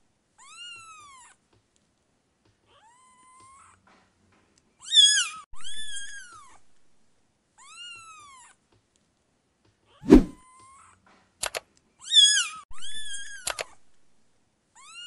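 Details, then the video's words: Indoor cat meowing at irregular intervals: soft drawn meows alternate with louder, strained, rising-falling cries, broken by a sharp knock and a few clicks in between. "cat meowing"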